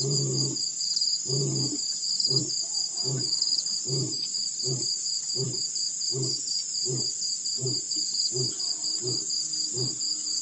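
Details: Roaring male lion at Pete's Pond in Botswana's Mashatu Game Reserve, December 2016, after rolling in the dirt: a run of short, deep grunts, closely spaced, then slowing and drifting apart, beneath a constant insect drone.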